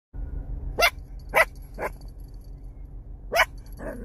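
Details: Chihuahua puppy barking: four sharp, short barks spaced irregularly, two close together near the start and another pair later, the last one softer, over a steady low hum.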